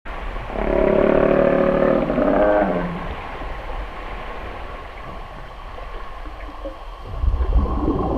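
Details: A humpback whale in Alaska gives a long, rich, trumpeting moan that sags lower at its close, part of song and feeding calls.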